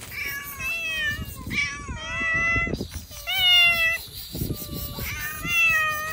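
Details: Outdoors, hungry cats given cut fish meow insistently: four long, rich, nasal calls roughly every second and a half, some bending upward then down. Low rumbling noise lies beneath.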